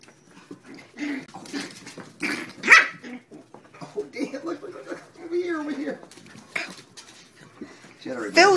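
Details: Playful terrier puppies named Phil and Gloria tugging at Maeve, yipping and barking in short bursts, with high squeals and whines between, over people talking and laughing nearby.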